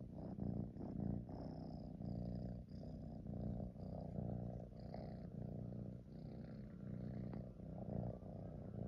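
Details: Purring tabby kitten resting on a fleece throw with its head pushed into it, giving a steady, deep, vibrating rumble in gently rising and falling waves, with faint soft rustles and small high squeaks in the background.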